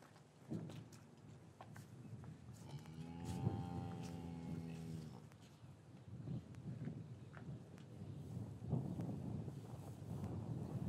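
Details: Cattle in a traditional English cattle yard on a winter's afternoon, calves separated from their mothers; one long, steady low moo with stacked harmonics lasting about two seconds, amid shuffling, clattering hoof and movement noise in the yard.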